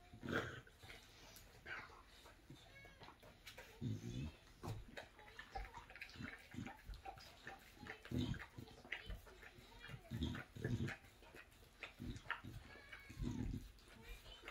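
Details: English Bulldog chewing a bone: irregular sharp clicks and crunches scattered throughout, mixed with short low snuffling grunts and thumps, in a quiet indoor setting.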